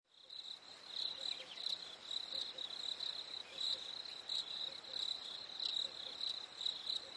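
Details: Chirping crickets on a warm summer night: rapid, high-pitched pulsed chirps repeat several times a second over a soft, quieter background, with faint extra clicks among them.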